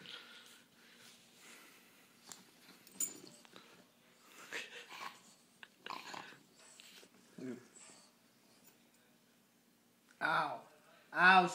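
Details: Cedric, a bulldog, playing a little rough with a person indoors: quiet snuffling and scattered small noises, then two loud, harmonic barks in quick succession near the end.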